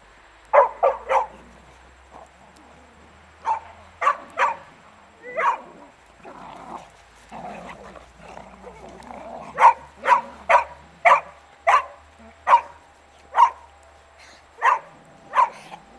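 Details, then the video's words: Beagle playing with a shirt, barking in bursts: a quick cluster at the start, scattered barks and softer grumbling sounds, then a steady run of loud barks roughly every half second. "Beagle zabawa - moja koszulka"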